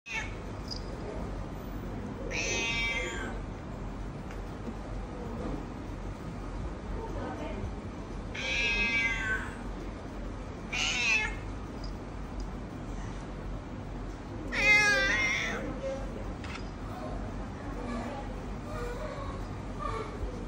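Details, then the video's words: Talkative, friendly cat at a veterinary clinic meowing repeatedly: four wavering, harmonic-rich meows spaced several seconds apart, with steady background hum and faint room noise between calls. "VET CAT is Talkative Friendly Affectionate and Lovable"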